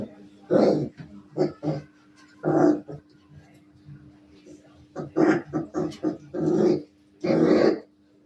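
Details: Maremma Sheepdog puppies playing, giving rough growling yaps and whining grumbles in bursts of about half a second, several close together, over a faint constant hum.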